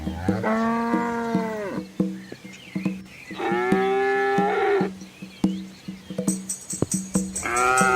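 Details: Large herd of red village cows and calves crossing a small river amid green trees in rural Asia; three long harmonic moos, the second rising then wavering, separated by low thumps and splashes.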